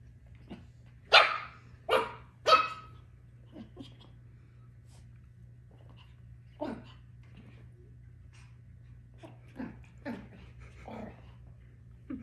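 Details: Two Pomsky puppies at playtime indoors: three sharp, high barks in quick succession, then scattered softer yips and barks spaced irregularly over the following seconds, with a steady low hum in the room.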